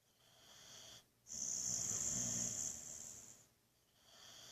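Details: Buddy, a Boxer dog, snoring in a sound sleep before being woken: one long hissing, wheezy breath with a bright high whistle lasting about two seconds, framed by quieter breaths.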